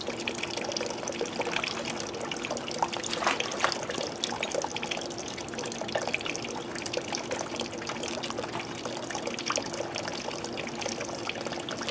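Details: Water trickles and pours continuously, like a running tap, with no animal voice audible.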